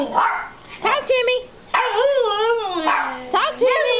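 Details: Alaskan husky puppy, three and a half months old, kept with a two-year-old morkie, 'talking' in long wavering, harmonic, howl-like moans that rise and fall in pitch, in two drawn-out bouts, with a person's voice coaxing between them.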